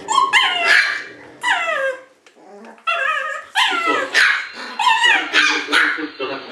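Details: Shiba Inu puppies whining in high, bending cries that swoop up and fall away, with bursts of yipping in quick succession and a short quiet gap partway through.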